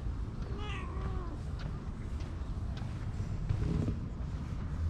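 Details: Stray cats under a bench being stroked, with other cats gathering: two soft, wavering meows in the first second and a half, then a fainter low murmur near the end over steady traffic rumble.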